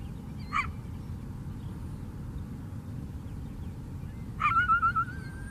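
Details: Lakeside coyote on Chicago's south side: one short bark, a long pause, then a second bark that trails into a wavering, quavering whine. Steady low-pitched city noise lies underneath.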